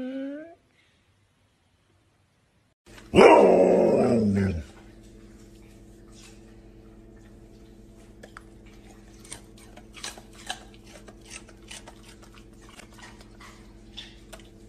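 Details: Siberian Husky giving one long, loud harmonic bark or howl-like yelp of about two seconds, preceded by a short rising whine; afterwards a steady low hum and scattered faint clicks fill the background.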